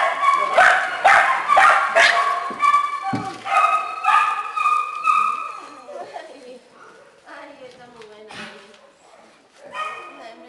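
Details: Small dogs and puppies in a shelter kennel: a burst of high, tonal yips and whining barks in quick succession, loudest over the first six seconds, then fading to softer scattered whimpers.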